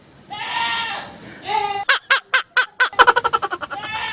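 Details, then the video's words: Goat giving a drawn-out nasal bleat, followed by a quick run of short, evenly spaced pulsing notes that speed up toward the end. "Sayang ang kambing"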